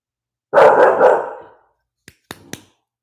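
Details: Bulldog puppy barking again while being soothed: one long, harsh bark of about a second, followed by a few faint clicks and short sounds.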